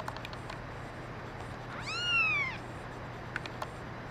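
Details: A brown mackerel tabby and white female kitten gives one clear meow, arching up then falling, about three quarters of a second long, amid quiet background clicks and a steady low hum.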